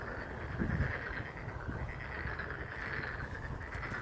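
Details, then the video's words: Frog song in April 2023 with wind shaking a blossoming fringe tree: a dense, continuous chorus of pulsing trills holds steady while low gusty wind noise rumbles underneath and a short knock sounds early on. "개구리 노래소리"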